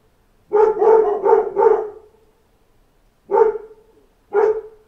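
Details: Pack of dogs barking at door knocks: a quick run of four barks in a row, a pause, then two single barks about a second apart.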